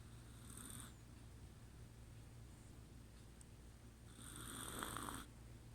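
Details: Chihuahua named Kuu asleep and snoring; two soft, breathy, hissing snores, one at the start and another near the end, separated by quiet breathing over a steady low hum.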